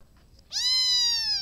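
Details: A cat gives a single drawn-out meow starting after half a second of quiet. It is clear and tonal, rising briefly and then sliding slowly downward over about one second. There is faint background hiss.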